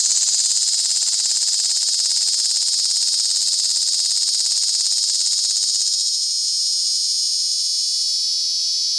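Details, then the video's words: Tibicen tremulus cicada singing from inside a collapsible cage at Sandhills State Park, Reno County, Kansas, on August 2, 2011; a loud, steady, high-pitched buzz with a fine rapid pulsing, unbroken throughout, with T. lyricen and T. pruinosus cicadas in the background. "T tremulus cicada calls in collapsible cage"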